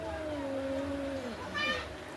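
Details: Cat in a fight gives a sustained low moaning yowl that glides gently downward, then a brief higher cry near the end against steady background hum.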